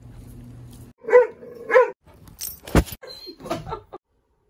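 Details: Rufus, a silver German Shorthaired Pointer–Weimaraner mix puppy, gives two short, high, tonal yelps about a second apart, followed by brief thuds and scattered household noises in a montage of clips from his first year.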